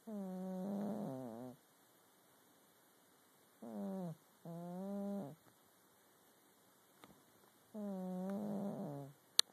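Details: Sleeping cat snoring in a rhythmic series of buzzy, harmonic breaths, each one to one and a half seconds, some rising and falling in pitch, quiet pauses between, a sharp tap near the end.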